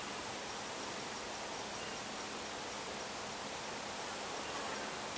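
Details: Cicadas in a rural area keep up a steady, high-pitched shimmering buzz that never breaks.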